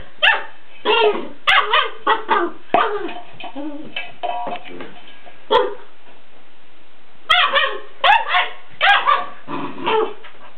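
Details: Unimpressed by an empty food bowl, a Weimaraner lets out rapid runs of barks and yips, several clustered together, then a pause with a thud, then another burst of four or five barks.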